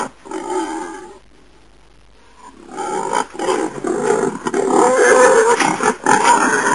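A wild boar gives harsh, rasping grunts and growls, then a longer run of rough, squealing snorts.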